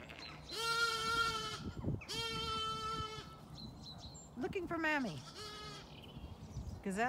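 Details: Zwartbles lambs on a farm in County Kilkenny, Ireland, still very young, call out for their mothers while the ewes feed and ignore them, with repeated long, wavering, nasal bleats.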